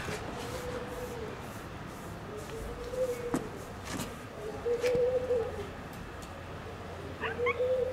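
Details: Stray domestic cats in Istanbul, living in a fenced safe zone with cat houses and fed daily, give a series of drawn-out, level meows, five or so in eight seconds, with sharp knocks and clicks in between and a quiet steady hum behind.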